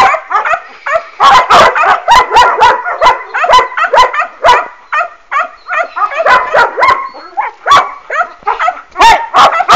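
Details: A litter of working-line German Shepherd puppies sired by Boris Solidblack out of Tisia de la Senda, yelping and yipping together in dense, overlapping bursts with brief whining squeals between them.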